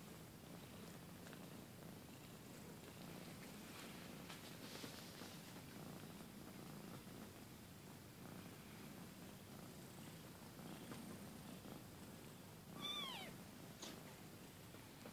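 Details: Two weeks old, a kitten purrs in a long, even, low rumble, with one quick pair of high downward mews near the end.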